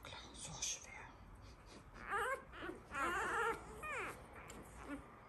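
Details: One-week-old Labrador Retriever puppies from a breeder's litter whine and whimper indoors. High, wavering, wobbling cries rise and fall in several bursts of about half a second each, with quiet pauses between them.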